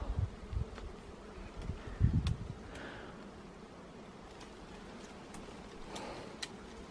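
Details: Wild honey bees at a nest in a Cambodian forest, found by a professional honey hunter: low droning buzz swelling in bursts over the first two seconds, then a softer steady hum with scattered clicks and rustling.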